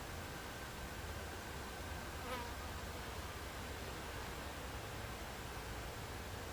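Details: Buckfast bees humming in an alternative beehive, July 29, 2013; the colony's drone stays flat and continuous, broken only by a short sharp sweep just past two seconds.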